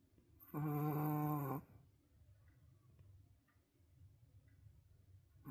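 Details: Roku, a wolf sable Pomeranian dog, snoring at his loudest ever, asleep and perhaps tired; one loud, rasping, harmonic snore lasting about a second, followed by quiet breathing in a small indoor room.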